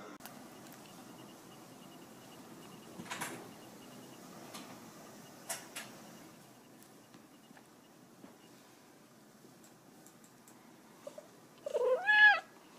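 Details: Ame, an indoor American Shorthair cat, angry after grandpa snatched away her cockroach. The room stays quiet with soft knocks and clicks, then a short, loud, harmonic wailing meow rises and falls at the very end.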